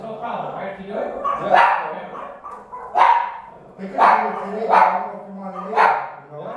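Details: Jack Russell Terrier barking at home: sharp, harsh barks repeated roughly once a second, five clear bursts over a steady low background hum.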